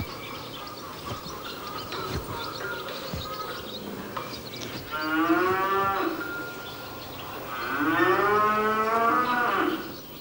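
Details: A cow in a stable where barn swallows nest in summer gives two long, throaty moos, each about two seconds, swelling and then sagging in pitch, over a low rumble of barn noise.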